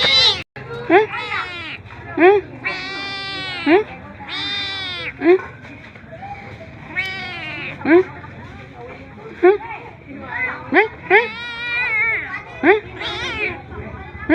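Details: Cat begging for food, giving short, separate meows at roughly one-second intervals, some drawn out and wavering, over a steady low background hum.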